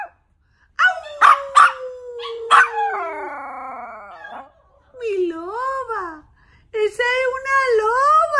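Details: Yorkshire Terrier, called a wolf yorkie, giving drawn-out tonal howls: an opening long note sliding slowly downward and punctuated by sharp yelps, then after short pauses two wavering howls that rise and fall in pitch.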